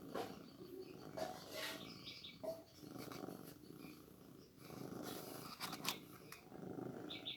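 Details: Feeding a newborn kitten milk: a soft, throbbing purr rises and fades in waves, broken by clicks, taps and short rustling handling noises.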